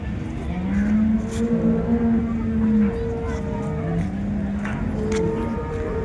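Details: Holstein Friesian cattle at the Loni cow market, 30 December 2025, where cows are brought for sale: a long, low, steady moo of about two seconds, then a shorter drawn-out one, over crowd chatter and passing vehicles.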